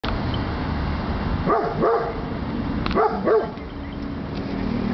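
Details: Dog giving two quick pairs of short, sharp barks about a second apart, over a constant low rumbling background noise.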